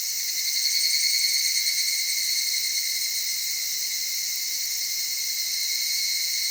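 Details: Soft-voiced evening cicadas in the Okutama area of Tokyo, Japan, among cedar trees and mountain streams. A sustained, high shimmering buzz that is slightly louder near the start, then steady to the end.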